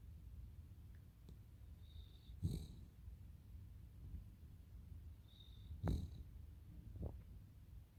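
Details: Cavalier King Charles Spaniel Totoro snoring quietly: a steady low rumble underneath, broken by two louder snorting breaths about three seconds apart and a softer one near the end.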